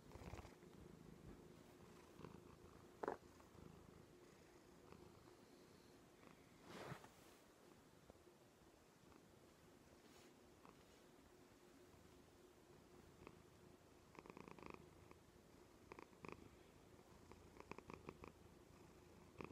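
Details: Pet cat Joan, a female, purrs on a couch arm indoors; steady low rumble throughout with occasional soft taps and rustling bursts near the start and end.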